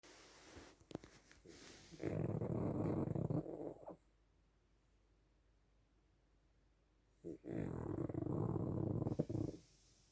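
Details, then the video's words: Dog snoring like a bear: two long, rough, rattling snores about two seconds each, separated by several seconds of quiet breathing pause. "собака храпит как медведь"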